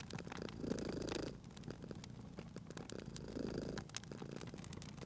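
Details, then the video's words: Domestic cat purring while resting beside a crackling fireplace in a cozy room; low rumbling purr swells in two long cycles, about one second each, over sharp popping and snapping of burning wood. "Cute Purring Cat at a Crackling Fireplace"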